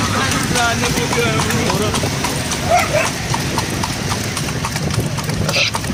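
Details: Hooves of a horse drawing a cart at night, clip-clopping in an even quick rhythm beneath people talking throughout.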